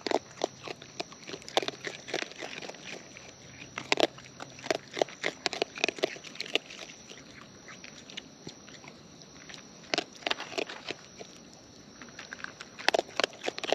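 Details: Raccoons in the wild feeding close to the microphone, steady bursts of crisp crunching and biting clicks, some louder clusters, over a faint constant high hiss.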